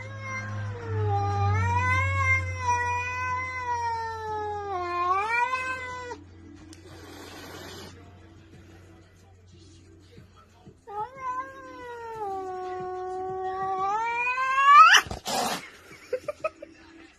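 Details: Domestic cat caterwauling indoors in long, wavering, drawn-out howls with rising and falling pitch, two extended bouts separated by a pause, with a low hum and brief clatter near the end.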